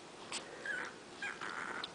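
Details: Twenty-day-old puppies, five in a litter, poke around waiting for their mother to feed them; thin, high whimpers come as two short squeaky bursts, the second drawn out and level, over a quiet indoor hiss.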